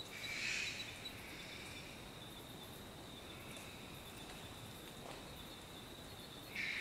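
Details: A wheezy, breathy shriek from a short-eared brushtail possum opens the recording, with a second similar shriek starting at the very end; a continuous high-pitched insect buzz fills the quiet gap between them.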